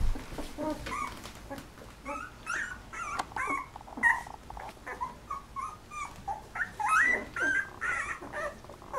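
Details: A litter of eleven 13-day-old Golden Retriever puppies, eyes just opening, giving overlapping high squeaky whimpers and short rising squeals, some sliding upward, scattered irregularly with brief soft clicks between.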